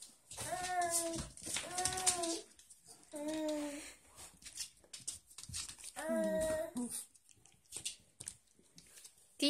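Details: Dogs Destiny, Hope and Bea in their bed indoors in a small room; drawn-out, wavering high whines in three bursts, each a second or so long, with quiet rustling between and a person's voice afterward.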